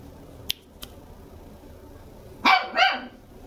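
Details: Red Toy Poodle puppy, a two-month-old female kept indoors in Machiya, Tokyo, barking twice in quick succession after two faint clicks, with a quiet room around her.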